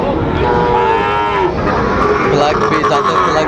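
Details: Cattle at a bull-calf sale in Amabari market, Dinajpur, Bangladesh, on 12 September 2025, where Sahiwal bull calves are traded. A drawn-out, harmonic moo wavers and slowly falls, under steady crowd chatter and bargaining voices.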